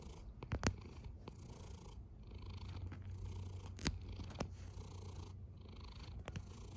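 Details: Snoring housecat giving a continuous deep rumble with faint breathy hiss above it, punctuated by several sharp clicks at intervals.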